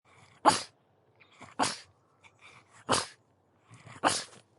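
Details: Pug dog giving four short, sharp, breathy barks spaced roughly a second apart, each a quick noisy burst with soft snuffling sounds between them.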